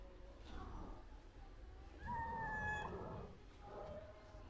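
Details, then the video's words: A cat walking around close to a person gives a thin, drawn-out meow with a slightly falling tone, faint softer meows before and after, over low background rumble. "This cute pussy is walking around me a lot."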